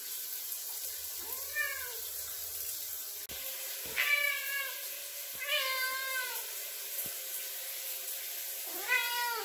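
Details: A male Ragdoll cat at the bathroom door meows constantly for attention while his owner showers, wanting the door opened, giving several drawn-out, rising-then-falling meows over steady hissing running water.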